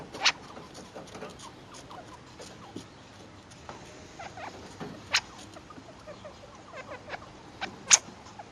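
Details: Two-week-old chinchilla young calling to their mother soon after birth, with high, sharp squeaks scattered through the clip, a few louder clicks near the start, middle and end, over a quiet hiss.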